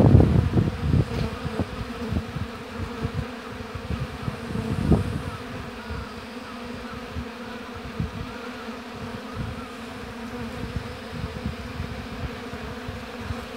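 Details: Honey bees hum steadily at an apiary hive beneath loud low rumbling bursts, strongest in the first seconds, that then settle into a softer continuous drone.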